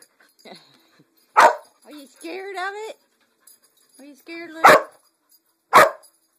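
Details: Lucy, a dog confronting a Pink Pig Bumble Ball toy, gives three loud, abrupt barks. A person talks to her in a high, coaxing voice between the barks.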